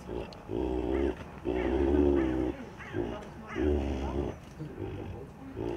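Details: One of three juvenile snow leopards at Zoo Wuppertal gives low, throaty, drawn-out calls in a repeated run, greeting the keeper they regard as their foster mother.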